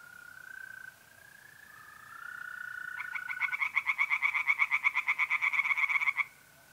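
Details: Tree frogs singing in a pond on an April night in north-east Italy: a steady mole cricket trill runs first, then a fast series of rasping frog pulses, roughly six per second, takes over for three seconds before stopping.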